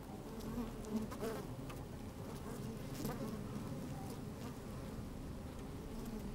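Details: Honey bees busy inside an open hive, recorded with a microphone slid in among them on a fine sunny day; steady low droning hum, short buzzy flickers early on, faint rustles throughout.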